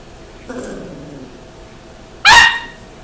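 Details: Bruce, a baby Miniature Dachshund, playing with Mouse, a Teacup Yorkshire Terrier: a faint low whine first, then one sharp, bright, high yip near the end, short and loud against a quiet indoor background.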